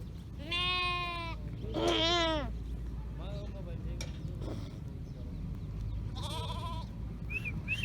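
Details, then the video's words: Lamb calling its mother: three loud, wavering, nasal bleats with rich overtones, the second rising then falling, separated by quieter pauses with faint bleats and a low background rumble. "Lamb Calling Mother Sheep"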